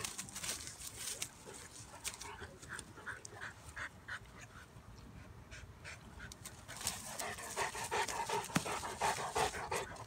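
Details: Two dogs, a Bulldog/Staffy cross and a Cane Corso, wrestling in play: quick, rhythmic panting breaths at nearly three per second, mixed with soft scuffling and clicking noises throughout.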